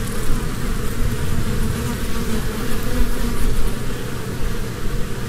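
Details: Close, loud humming of honeybees busy at spring blossoms collecting pollen, an unbroken deep drone with small rises and dips in loudness.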